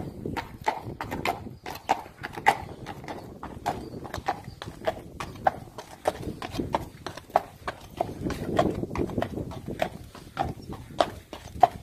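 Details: Friesian horse, imported, moving on a hard surface; steady clip-clop hoofbeats, sharp clicking strikes roughly two to three per second throughout, with a low rumbling background.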